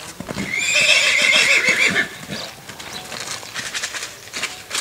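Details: A Paint horse at a Lusitano horse stud gives a loud, high whinny lasting about a second and a half. It wavers and then fades, followed by scattered hoof clip-clops and knocks.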